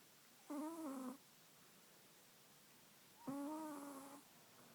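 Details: Two whistling snore notes from Oliver the Chihuahua, each under a second, the second sliding slightly downward, separated by about two and a half seconds of quiet room noise.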